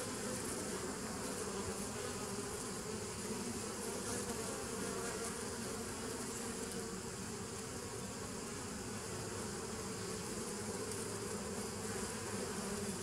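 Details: Bees recorded on 27 September 2018, a dense continuous hum with layered low tones and a broad hiss above, steady in loudness throughout with no pauses.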